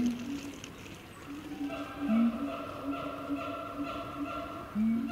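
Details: Siamang calling at Chiba Zoological Park in Japan: a run of quick repeated tonal hoots with ringing overtones, framed by two louder, lower swooping notes.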